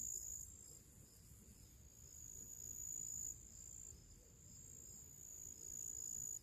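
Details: Summer crickets outdoors in nature before evening, giving a thin, unbroken high-pitched whine that swells and dips in loudness, with light pulsing shimmer at the top and gentle low-frequency rumble underneath.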